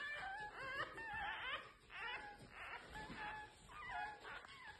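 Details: Newborn domestic fox cubs, red fox type, calling in a small indoor space: high, wavering whines and squeals, several overlapping and rising then falling, repeated in short bursts throughout with slight background murmur.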